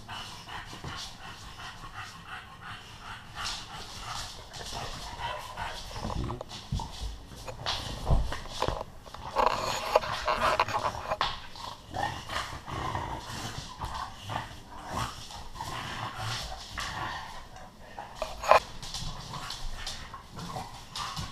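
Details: Bullmastiff Earl and female English Bulldog Bentley playing roughly together indoors upstairs, after months of coaxing; heavy rhythmic panting and snorts with scuffling and bumping throughout, breathing growing louder midway, a sharp knock near the end.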